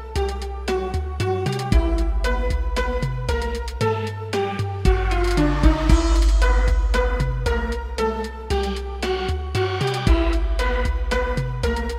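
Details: Electronic dance music with a steady drum-machine beat and synth chords, with no animal sounds.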